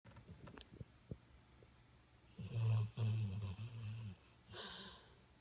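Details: Golden Retriever snoring while asleep: low, rumbling, buzzy snores in a couple of drawn-out bursts, followed by a softer breathy exhale, in a quiet room.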